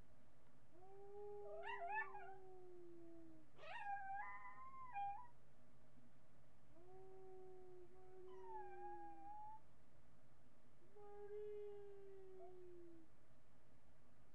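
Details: Marty, a miniature pinscher, howling indoors on a webcam recording from July 8, 2011: four drawn-out, tonal, wavering howls, each two to three seconds long with brief gaps, some bending upward before sliding back down, over a quiet, steady room hum.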